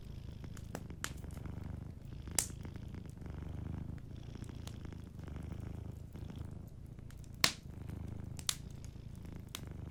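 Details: Soft low purring from a sleeping cat in a cozy fireside setting, quieter rhythmic rumble in repeated breaths, mixed with frequent crisp crackles and a few loud snaps from the fire.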